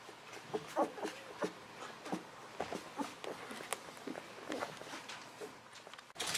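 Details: Litter of 11-to-13-day-old Golden Retriever puppies, offspring of Aiko of Haarby and Lady Dina, squeaking in brief, wavering, rising-and-falling whines that come in quick clusters, with soft rustling between them.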